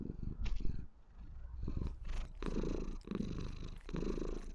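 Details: A white female Maine Coon kitten purrs loudly and steadily in a low, rumbling rhythm while relaxed, showing affection to her owner.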